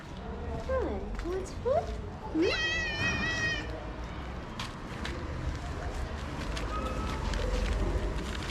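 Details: Stray street cat in Morocco, hungry and sniffing the camera as someone offers food, lets out a long wavering meow after some short rising chirp-like sounds, with a person talking and steady urban background noise.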